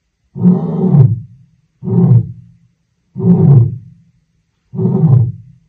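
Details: Wild lion in its African savannah habitat utters deep, low grunting roars. There are four short, heavy pulses, each under a second, spaced roughly every one and a half seconds, with no other sounds.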